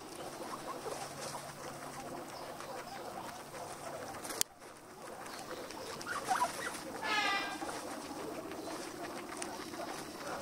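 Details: Guinea pig in its everyday routine giving a short harmonic squeal about two-thirds of the way through, steady household background hiss and faint rustling around it, with a brief sharp click just before the call.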